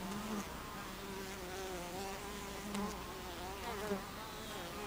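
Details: Buzzing honey bees crowd a hive entrance on 26 July 2013 at 14:55, a continuous low drone of overlapping wingbeats, with passing bees briefly louder and wavering slightly in pitch.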